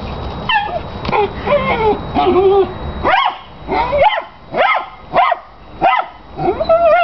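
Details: Obsessive pet dog with his big tennis ball: whiny, wavering yips at first, then a run of piercing barks about one per second, while a chihuahua runs zoomies in the background.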